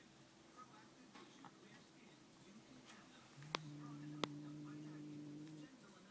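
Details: Rex, a house cat, makes an odd sound after meeting a new cat named Steve: a level, humming low drone lasting about two seconds, two sharp clicks within it, quiet room murmur before.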